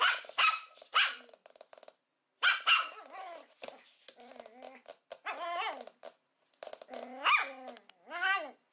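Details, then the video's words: Young puppies give high, tonal yips and whining barks with clear harmonics, bursts roughly every second, some rising and falling in pitch, with short silences between and faint background noise indoors. "Los mejores LADRIDOS de PERROS CACHORROS"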